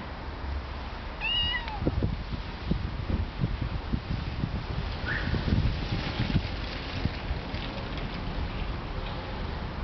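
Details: A domestic cat that had hissed fearsomely and then began meowing plaintively like a little kitten. One clear, wavering, falling meow comes early, followed by knocking and rustling handling noises and a faint breathy sound.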